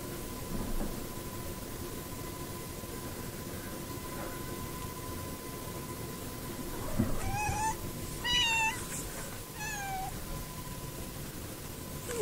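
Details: Rocky, a neighbour's cat wearing a little bow tie, visits indoor cats through a window. He gives three or four clear, drawn-out meows in the second half, each with a slight downward bend, over a low steady hum.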